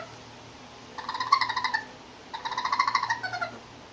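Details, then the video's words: Baby raccoons, four curious urban youngsters crossing a terrace close up on their way to cat food, give two quick bouts of rapid pulsed, chittering trills, each under a second long, separated by a short pause over quiet background hiss. "Baby Raccoons Sounds"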